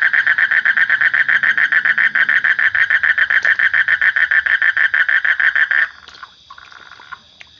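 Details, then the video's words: Rapid rhythmic pulses from a frog, around three and a half per second, form a strong nasal trill for almost six seconds, then cut off, leaving only faint, scattered softer sounds. "Suara Kodok / Frog Sound"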